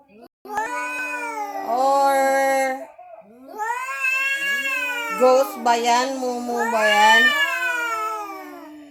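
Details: A visiting cat makes a strange sound around Halloween: long, wavering, drawn-out yowls that rise and fall, given in three stretches with short breaks, with background music and a brief human voice.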